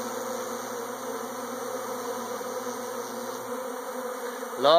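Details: Swarming honey bees make an even, layered buzzing hum that holds steady, ending with a sudden louder rising sweep at the very close.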